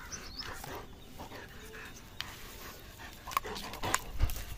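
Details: German Shepherd at play with a rope: quick, irregular breathy pants and soft huffs, ending in a louder thump, over a steady outdoor background hiss.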